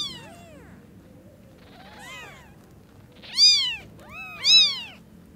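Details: Very young kittens with newly opened eyes meeting their mother cat: a cluster of thin, downward-arching mews, then two loud, bright, rising-falling cries about a second apart, with a quiet low hum underneath.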